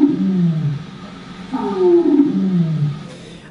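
Treehopper plant-borne vibrations made audible: low, groaning, drawn-out tones that slide down, then a brighter rising answer. The male calls and the female responds in a courtship duet.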